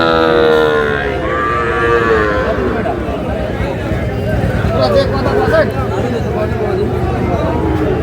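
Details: Sahiwal bull calf at a cattle market on 24 February 2026, bought by a farmer from Noakhali; a drawn-out, harmonic moo falling in pitch over the first two seconds, then steady crowd chatter and market noise.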